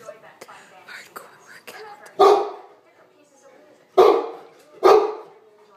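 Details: A dog gives three loud, sharp barks at dogs on the television, with the TV and human voices faintly behind.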